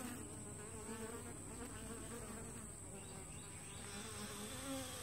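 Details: Many honey bees flying at the entrance of a two-week-old walk-away split: a dense, steady buzzing hum with overlapping wavering tones from bees passing near, and a faint constant high whine.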